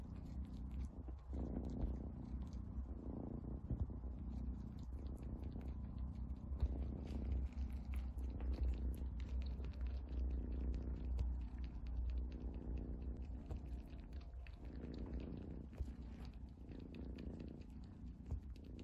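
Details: A domestic cat purrs steadily and low, the rumble swelling and easing with each breath cycle in a quiet indoor setting, with faint soft clicks scattered through.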